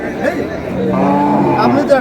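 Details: Cow at Ambari cattle market, Dinajpur, Bangladesh, where cows with calves are sold: a short, low, droning moo under a second long rises from busy market talk and crowd noise.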